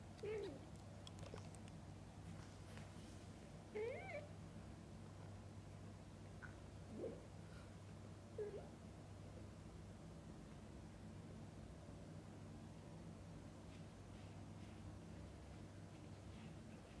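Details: Mother cat feeding and bathing her kittens indoors; four short, mid-pitched meows, each rising then falling, come a few seconds apart in the first half, followed by quiet low hum.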